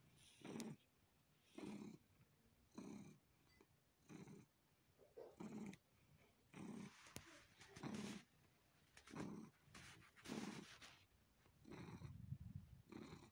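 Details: A pet cat purrs while sucking on and kneading a person. Low rumbling bursts with a breathy, rasping edge come in a steady rhythm, roughly one per second. Quieter gaps fall between the bursts.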